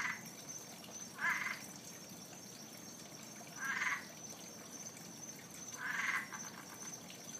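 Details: An unseen frog living around a pond near Fort Lauderdale, calling every night, gives short, rough, pulsing calls every two to three seconds over a thin, steady insect hum.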